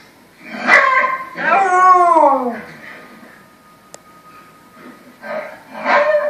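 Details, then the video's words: A Samoyed howling at the TV in a small room: one clear wavering howl that bends downward, followed by a steady electronic tone and television voices. "Samoyed howling at tv"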